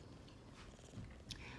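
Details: Burmese cat Matilda purring while her belly is petted and she is cuddled, a breed described as very friendly and cuddly; a soft, steady low rumble runs quietly throughout, with a brief rustle near the end.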